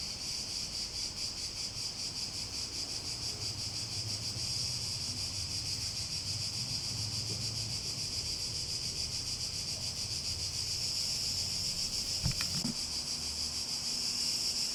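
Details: A loud, steady cicada buzz dominates, pulsing quickly and regularly, with a brief low knock near the twelve-second mark and faint low hum beneath.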